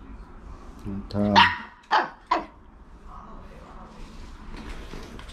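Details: Jealous young Maltese female barking at her mother dog: a low rumbling start gives way to three sharp, loud barks in quick succession, then soft background murmur.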